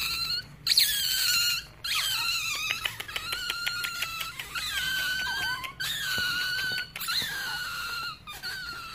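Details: Rare baby otter with white feet and white ringed tail calling indoors: sharp rising squeals that level into long shrill whistles, repeated in bursts with short gaps, with a run of quick clicking chirps in the middle.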